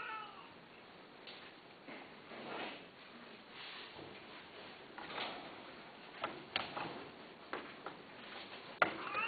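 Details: Domestic cat indoors giving a short, faint, high meow at the very start, followed by scattered clicks, taps and shuffling sounds in a small room.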